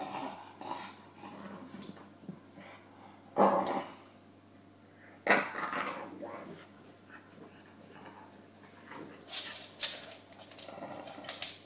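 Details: James, a bulldog, busy with his pillow: two abrupt barks a couple of seconds apart, each trailing into a rough growl, followed by softer whimpering grumbles and snuffling.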